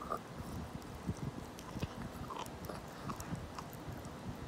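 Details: A 17-year-old senior dog eats a rabbit-ear treat, producing soft, irregular crunching and gnawing clicks several times a second over a steady low background hum.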